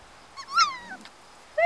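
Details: Four-week-old Golden Retriever puppies playing outdoors in late spring sunshine with children. Gives a short, high whine that rises and then falls, followed by a second whimper, with background music.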